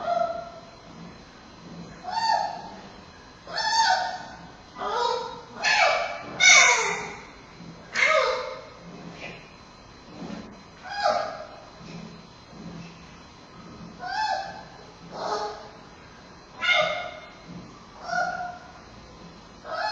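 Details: Giant panda cub Bei Bei, a male at Smithsonian's National Zoo, fussing during a Friday afternoon nursing session on 10-9-2015 as mother Mei Xiang breathes heavily; Panda Cam recording. Harmonic, bleating squeals repeated roughly every second, some rising then falling.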